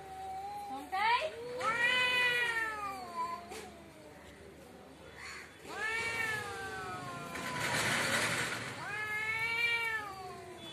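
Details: Fighting cats outside a house trade drawn-out, moaning yowls, each a sweeping harmonic wail lasting about two seconds. A wailing exchange near the start, another in the middle and a final one at the close, with a hissy burst between.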